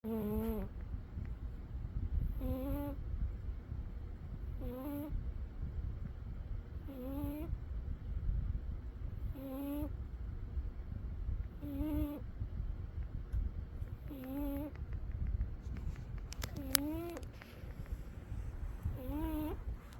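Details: Umi the cat snores while asleep, each breath carrying a short tonal squeak with rising and falling overtones, repeating steadily about every two and a half seconds over a low, rumbling background hum.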